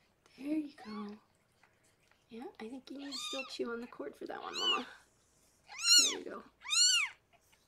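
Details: Harlequin, a rescued pregnant cat in foster care, birthing six kittens indoors; murmured human speech, then two loud, high, rising-and-falling mews near the end, each under half a second.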